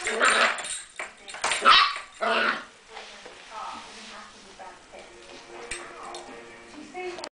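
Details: Meg, a nine-week-old English Springer Spaniel puppy, indoors trying to pull the back door keys out of the door: sharp, loud yelping barks in the first seconds, then thin, wavering high whines, with human voices alongside.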